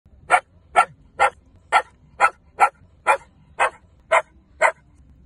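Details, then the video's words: Shetland Sheepdog barking at something unseen: ten short, sharp barks in a steady series, about two per second, over a quiet low background hum. "What is he barking at???"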